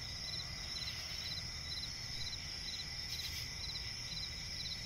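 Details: Night-time forest crickets near a swamp: rapid high chirps pulsing roughly twice per second against a continuous shrill drone and faint low rumble.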